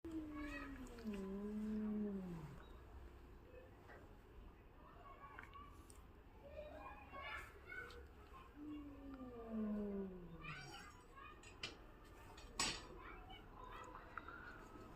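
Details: ['A domestic cat, frightened by another cat, gives unusual sounds: two long, drawn-out moaning yowls that waver and then slide downward, separated by quieter mewing cries and faint room noise.']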